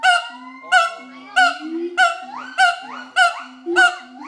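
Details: An adult pair of siamangs sings a territorial duet at Schmutzer Primate Center, Jakarta, Indonesia, on 30 August 2012. Loud, ringing barks with a rising, hooting lift repeat steadily about every two-thirds of a second over deep, swelling and fading booms.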